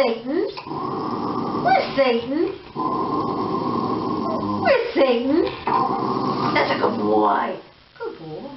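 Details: Shiba Inu giving drawn-out, wavering whines that rise and fall in long harmonic arcs, broken by brief pauses, with a steady hum beneath and an indoor feel.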